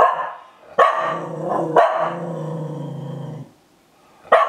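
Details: Spitz indoors menacing its own moulted fur: three sharp barks, each running into a harsh, throaty growl, with a final bark after a brief pause.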